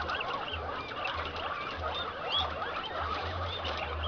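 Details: Rutting Inti-line male cuy courting and mating a Peru-line female at a breeding farm, giving low throbbing rumbles in regular half-second bursts while numerous squeaky, chirping calls from the surrounding herd fill the background.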